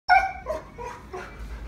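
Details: Husky crying indoors, apparently objecting to a deer being squeezed: one short, loud, high whine with clear stacked tones that drops and fades within about half a second, followed by quieter trailing whimper.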